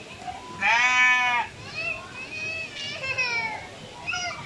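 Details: Goat bleating while pooping: one loud, wavering harmonic bleat of under a second, followed by quieter voices and softer calls.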